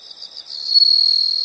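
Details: Insects recorded as a soothing nature sound: soft pulsing chirps swell after half a second into a continuous high, shrill trill.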